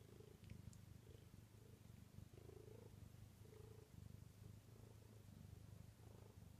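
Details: Bengal cat purring indoors at night, not wanting to go to sleep and known to climb onto the kitchen cabinets each night; a low, steady rumbling purr that pulses in rhythmic bursts with each breath.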